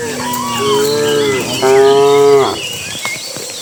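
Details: Cattle being herded by a herder into their pen as evening arrives, dozens of animals together; two drawn-out, harmonic moos back to back, the second slightly higher and louder, then shuffling and clatter as the calls end.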